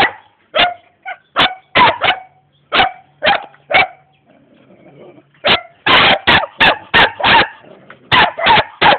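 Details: Young German Shepherd in Jamaica, said to be ready to attack, giving sharp barks at an uneven pace, a scattered run, a pause of over a second, then a faster, denser burst of barks.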